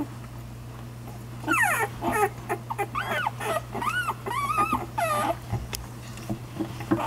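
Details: One-week-old nursing puppies whimpering: a burst of thin, high squeaky whines, many rising then falling in arches, some wavering, coming in quick overlapping bouts for about four seconds before quieting, over a steady low hum.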